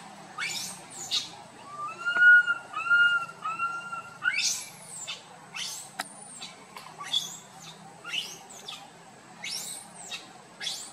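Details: Tiny monkey Boston walks about his group crying loudly, giving three short harmonic coos in quick succession followed by a rapid run of shrill, high arching squeals and screeches, roughly one every second.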